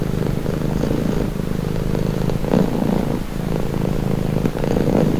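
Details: A cat purrs continuously in a soft, low vibrating drone, gently pulsing with its breathing, meant as a soothing, stress-easing sound.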